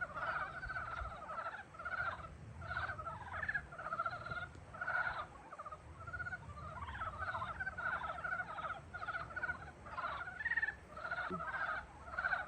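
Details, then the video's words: Spring frog chorus: many short, buzzy pulsed croaks overlapping in dense rhythmic bursts, one caller after another with brief pauses, a low constant hum beneath. "봄을 깨우는 개구리 울음소리"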